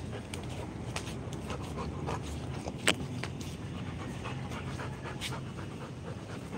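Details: Rottweiler panting in quick, breathy, rhythmic bursts, with a sharp click near the middle and a steady background rumble.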